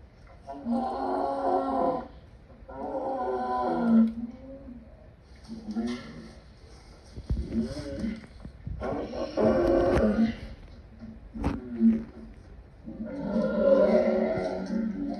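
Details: Lion producing a series of deep, throaty roaring bursts, each lasting one to two seconds with short pauses between, rough and harmonically rich. A few sharp clicks sound in between.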